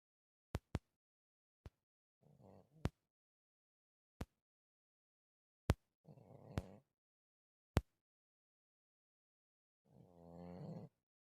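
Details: Sleeping house cat Malysh snoring again, Russian village, 4 December 2024: three slow, low buzzing snore breaths spaced several seconds apart, interrupted by sharp, loud clicks in a quiet room.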